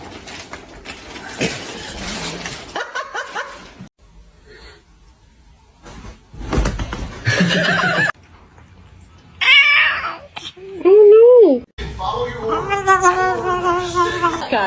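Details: Kitten meowing and crying indoors: scattered rustles and bumps, then several loud, drawn-out meows that rise and fall in a smooth arch. Later meows overlap with people talking and laughing.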